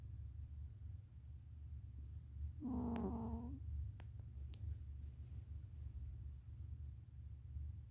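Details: Sleeping cat giving a single soft, grating snore about one second long amid quiet room hum, followed by a couple of faint clicks.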